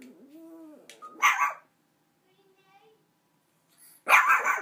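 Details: Buddy, a small puppy, barks at an oversized dog bone he has just been given; a soft human voice first, then two short sharp barks separated by a pause of almost three seconds.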